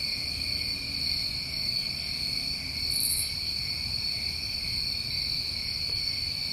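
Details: Crickets on a summer night in New England keep up an unbroken shrill, droning chorus, steady in pitch and loudness, with a single short buzzy burst higher up midway through.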